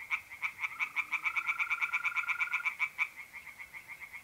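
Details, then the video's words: Nighttime pond chorus of tree frogs in North-East Italy in mid-April, a fast train of sharp, rattling croaks about five per second that slows and fades near the end, with mole crickets trilling steadily underneath. "relaxing singing tree frogs in pond and trilling mole crickets by night"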